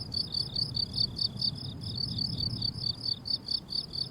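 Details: On a flowering summer meadow, crickets give piercing high chirps evenly repeated several times a second, a bright regular pulse over a gentle low background murmur.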